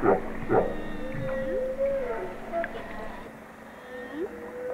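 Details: Humpback whale sounds: two brief sweeping whoops at the start, then thin gliding whistles that rise and level off, repeated twice, over a steady low drone of sea noise.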